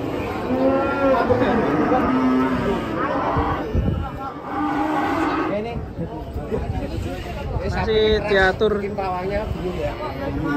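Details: Cattle being unloaded from a truck give repeated deep moos, some long and steady, others breaking off, amid shouting voices and a brief vehicle rumble.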